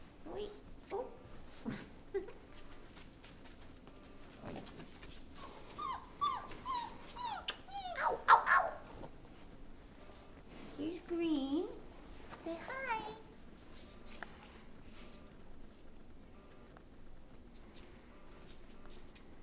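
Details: Mastiff pups five weeks old whimpering and squealing in short wavering bursts, sharpest near the middle, with light clatter and background talk; a child names colours and someone says not to pick him up.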